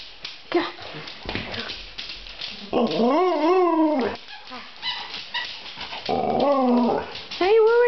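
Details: Excited pet dog wanting a walk in summertime, giving drawn-out arched whines that rise then fall, three clear bouts with pauses between, while a person chats to it about going walkies.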